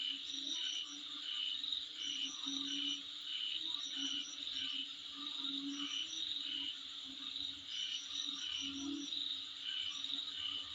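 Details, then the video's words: Insect calls from in front of a residence: a high sustained whirring drone pulsed in steady beats, with groups of sharp upper chirps recurring every couple of seconds and a quiet low hum. "Sound Of Insect In Front Of My Place"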